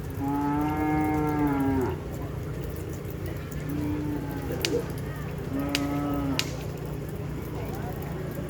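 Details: Cattle at a Madura bull race ground in Asemanis lowing repeatedly: three drawn-out harmonic moos, each lasting one to two seconds, over a steady background of crowd chatter and engine drone.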